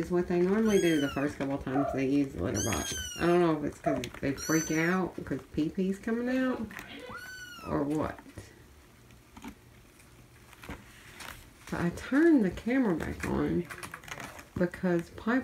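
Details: Feral kittens from a cat family being socialized, crying loudly in the morning while their mother Mia checks on them; repeated high, harmonic meows that rise and fall, in rapid bursts with a quieter pause midway, indoors with a human voice mixed in.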